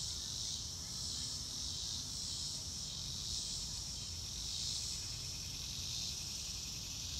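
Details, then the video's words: Cricket chorus outdoors with no music: a continuous high-pitched trilling wash, rising and falling in gentle waves roughly every one to two seconds, with soft low-frequency rumble beneath. "Nature Sounds - Real Time - No Music - Meditation - Crickets"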